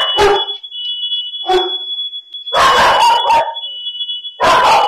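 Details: Pet dogs at home during a house fire, recorded by an indoor dog camera: loud harsh barks in four bursts, some doubled, over the steady high-pitched pulsing beep of a smoke alarm.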